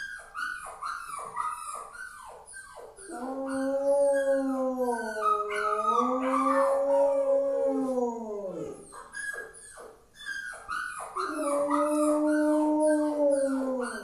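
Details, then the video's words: A male Rottweiler, seemingly upset over a puppy, gives long, wavering howls between bursts of quick, high yips and whines. "Rottweiler che ulula"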